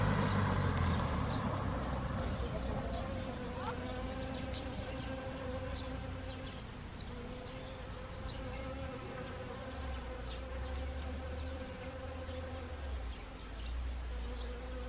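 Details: Honeybees among autumn Siberian chrysanthemums in Gangwon Province, Korea, 1 October 2020; a steady multi-toned drone throughout, with low rumble at the start and faint high chirping calls scattered across the background.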